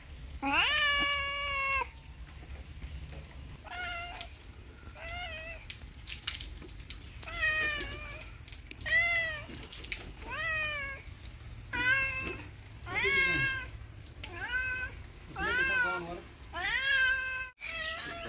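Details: Domestic cat meowing repeatedly indoors, about a dozen loud drawn-out meows with rising then falling tone, each one to two seconds long, spaced by short pauses; a low hum underneath.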